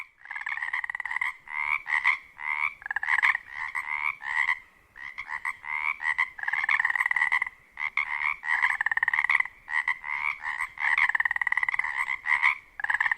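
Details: At dusk in a spring wetland near Ozette Lake on Washington's Olympic Peninsula, Pacific chorus frogs give overlapping, raspy two-part croaks repeated without pause, with males calling to attract mates in mating season.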